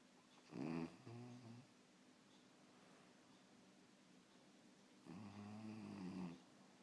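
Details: French Bulldog puppy snoring while asleep indoors: two rough, rattling breaths with a low buzzing drone and rising whistly overtones, about four seconds apart, with quiet room hiss between.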